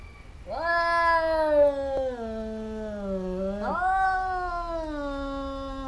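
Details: A pair of fighting cats that often squabble: one long, drawn-out harmonic yowl that sags lower over three seconds, then jumps up again and holds a steady moaning wail to the end.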